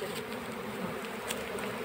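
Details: Honey bee colony being caught into a hive box, a steady, dense mid-pitched buzzing hum without breaks, with a few faint clicks above.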